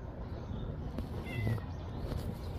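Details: Siamese stray cat emerging from early-morning fog as food is brought in cold weather; one brief, high, downward-sliding meow midway through, with soft clicks and a constant low-pitched hum behind it.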